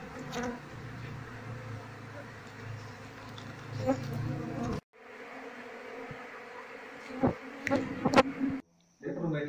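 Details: Asian honey bees from a colony without a queen, whose comb is full of honey and holds no larvae. A dense, humming drone is broken twice by short silent gaps. Sharp knocks and rustling come near the end.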